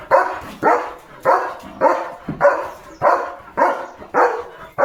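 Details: Leo the German Shepherd barks through his morning guard duty around a village and farm, challenging cattle, vehicles and other dogs; deep harsh barks repeat steadily about twice a second, clean and loud with little background.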